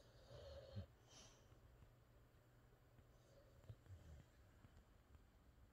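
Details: Sleeping Boxer dog Rex, dreaming, gives a wheezy snort and quiet low snoring breaths, one sharp snuffle near the start and another short burst toward the end, in a quiet room with a steady low hum.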